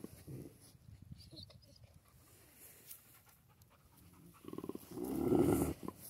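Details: Central Asian Shepherd dog, also called Alabai, panting in soft, quick, rhythmic breaths for several seconds, followed near the end by a louder, rough, low burst of sound.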